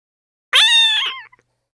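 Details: A Persian (Shirazi) cat, meeting a new small kitten, gives a single drawn-out meow that starts bright and slowly fades; Persian cat.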